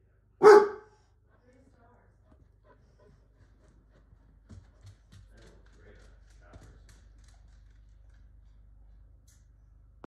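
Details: Indoor pet dog barking at a computer screen as the display changes: one short, sharp bark at the very start, followed by faint rustling, soft clicks and low room hum for the rest.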